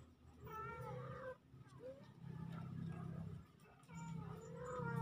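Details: Kittens, two of them, recorded October 17, 2024, give soft drawn-out wavering mews, partly masked by a loud low rumbling hum throughout.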